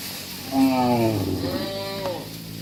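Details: Tame cattle, one of dozens being herded back to their farm pen, give a single drawn-out moo of about one and a half seconds, its harmonic tone wavering and bending before fading, over a low background hum.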